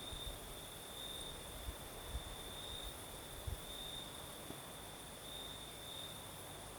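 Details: Crickets singing at night in southern Crimea during a night breeze: a thin, steady high trill runs throughout, while scattered low knocks and thumps and rushing breeze noise sit underneath.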